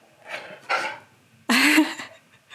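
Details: Key, a pet dog, answers the owner's prompts with a rising, talk-like yowl after softer breathy grunts, indoors, sounding like a reply to being asked to speak.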